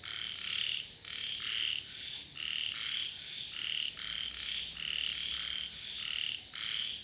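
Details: Frogs calling in a dense chorus, overlapping pulsed croaking bursts of about half a second each, repeated almost continuously with brief gaps, with a steady high hiss in the background.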